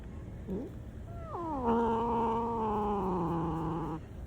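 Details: Black cat with a short chirp followed by a long, harsh, held meow that drops then stays flat for over two seconds, low steady background noise.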